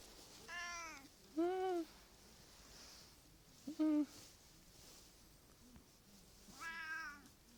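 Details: Affectionate, clingy Japanese cat being called and played with, letting out four short, bright meows at irregular intervals, some rising then dipping, the last fainter, in a quiet indoor room.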